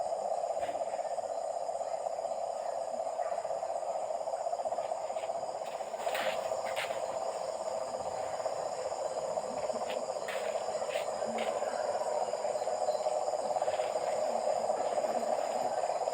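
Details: Frogs calling at night near a house, a dense, steady chorus of rapid buzzing pulses at a low-mid pitch that runs without a break, with a few faint clicks and knocks now and then.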